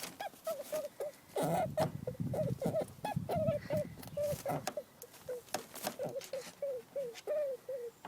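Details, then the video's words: A female rabbit, persistently mounted by her dominant sister, gives a rapid series of short, nasal squeaks, several each second, signalling distress and anxiety. "Female rabbit demonstrating squeaking sound"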